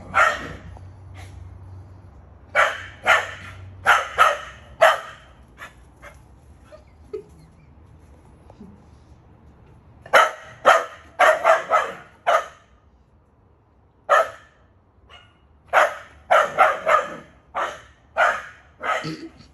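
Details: Barking from a male Keeshond outdoors in a backyard: quick runs of sharp, rough barks in bursts, a long near-silent pause midway, then renewed rapid barking with several barks per second.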